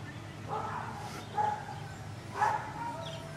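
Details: Indoors at a window, Anatolian Shepherd Dog Bauer barks at workmen and passers-by outside. Two distinct barks about a second apart stand out above a soft, muffled barking sound and low room rumble.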